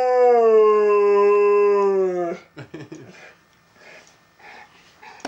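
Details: Domestic dog coaxed into howling at home by its owner: one sustained, steady, rich-toned howl lasting about two seconds, gently falling at the end, followed by a person's quiet chanting and soft household sounds.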